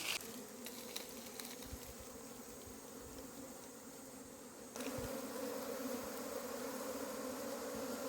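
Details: Honeybees wait to be scooped into a second hive box after their combs have been tied in. A continuous low droning hum grows louder about halfway through, with a few faint clicks.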